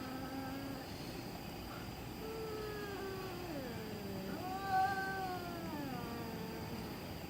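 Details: Cat making spooky noises in the middle of the night: several drawn-out, bending yowls, each dipping downward then rising again, repeated in a slow, uneven sequence over low background hum.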